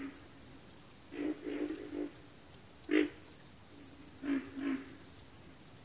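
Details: Low grunting frog calls come in small clusters, a single strong croak near the middle and a double grunt later, over a persistent shrill insect trill pulsing steadily.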